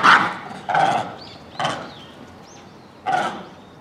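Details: A troop of Japanese macaques at Hamura zoo, calling at dusk near closing time in December 2020, gives loud, harsh calls about a second apart, with faint high whistles behind.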